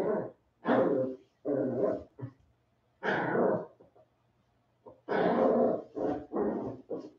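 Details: Westie puppies aged 47 days, several together after an outdoor break, produce loud, rough barks and snarling growls in quick bursts, some clipped short, with a faint low hum underneath.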